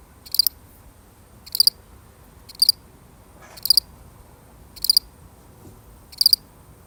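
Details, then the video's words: Lone cricket, real recording: crisp high chirps of two or three rapid pulses, repeating about once a second, with a faint soft thump in the quiet background. "The sound of one lonely cricket"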